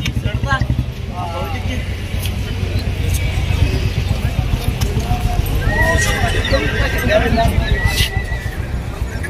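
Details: Frightened mare out of control at the Balotra horse fair (Tilwara Mallinath fair), Rajasthan: shaky, wavering whinnies rise out of a noisy crowd, with loud men's shouting, a deep steady rumble and music.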